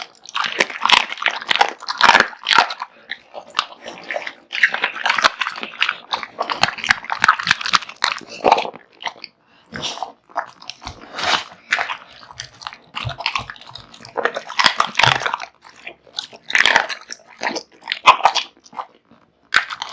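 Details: Kotetsu, a male American Bully born in 2016 and kept as a house pet, devours a huge meal of raw meat and bones: wet crunching and snapping bites in dense bursts, with short quiet pauses between mouthfuls.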